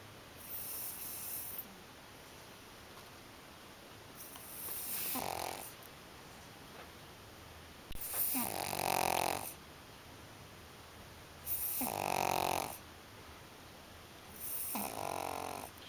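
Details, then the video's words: Sleeping pug snoring indoors in a small room: broad rasping snores in long bursts about every three to four seconds, each lasting over a second, with quiet pauses between and a faint steady high hum throughout. "So schläft und schnarcht der Mops"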